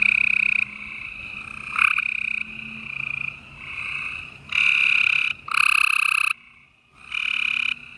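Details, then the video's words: Gray treefrogs calling on an April 2020 spring night in Houston, Texas: bursts of loud trills around a second long from close males, overlapping with softer continuous trilling, a brief near-silence near the end. "Gray Tree Frogs Chorus"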